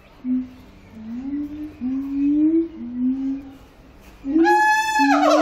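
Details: Siamang singing in captivity at Antwerp Zoo: a series of low, rising hooting notes, each slurring upward, then a sudden loud, harsh, harmonic-rich call bursting out near the end.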